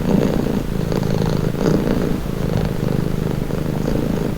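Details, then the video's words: Calming purr of a domestic cat: a close, even, low-pitched rumble with faint rhythmic pulses as the cat breathes in and out, nothing else audible. "Purring cat | Calming Relaxing Nature Sound"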